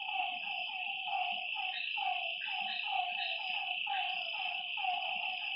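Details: Frogs heard at night at a lake give short, downward-sliding croaks roughly once or twice a second, with overlapping callers and a steady, piercing high drone throughout.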